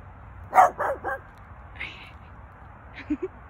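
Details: Dog barking at an elk: three quick, loud barks in a burst within half a second, then quiet with a faint higher murmur and two short soft notes near the end.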